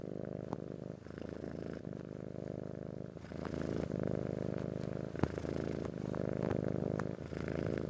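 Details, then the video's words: Purring domestic cat, Persian father and Siamese mother, a deep rattling drone that dips briefly then strengthens again, with occasional sharp little clicks. "Cat Purring Time"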